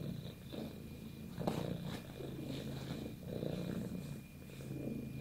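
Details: Pet cat purring steadily, a low throaty rumble rising and falling with each breath, some light rustling.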